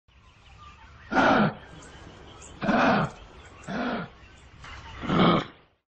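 A wombat gives four harsh, raspy grunting calls, each about half a second long, spaced one to two seconds apart over a quiet background.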